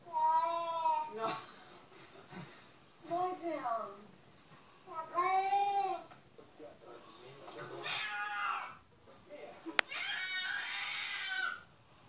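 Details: Domestic cat meows played on a television while a dog listens: three drawn-out, slightly falling meows in the first six seconds, with talking and other indoor sounds mixed in later.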